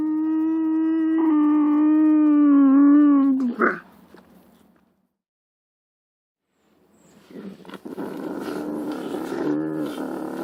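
A lynx gives a long, steady, moaning wail that sags slightly in pitch before breaking off.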